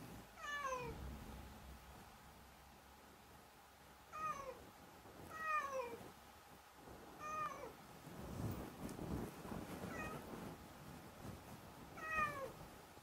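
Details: Domestic cat meowing: several short, rising-then-falling meows spaced a few seconds apart, with a low background rumble and some noise in between.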